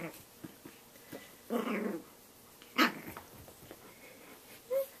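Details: Snax, a Shih Tzu puppy, fighting his mirror reflection indoors: a short rough growl, then a sharp yap and a brief squeaky whine near the end, with quiet shuffling between.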